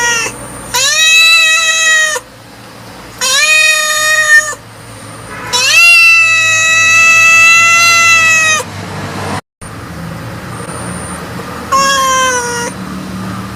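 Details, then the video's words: Cat giving four drawn-out, strongly harmonic meows of one to three seconds each, steady in pitch, then a shorter fifth one after a pause; a faint high steady tone runs in the background. "Cat Voice Ringtone 2020 || Kitten Voice Ringtone 2021"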